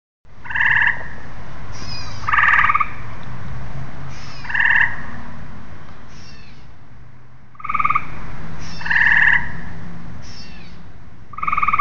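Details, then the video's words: Tree frogs calling in a steady series: short, bright, clicking-buzzy notes in paired bursts, given roughly every two seconds with a brief pause midway, over a low background rumble. "Tree frogs"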